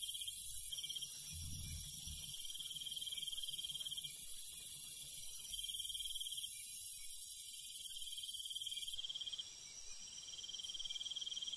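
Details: Crickets and other night insects in the countryside at night, a dense, steady high-pitched trilling chorus with rapid pulsing; the sound cuts abruptly twice and changes texture, with a brief low rumble early on.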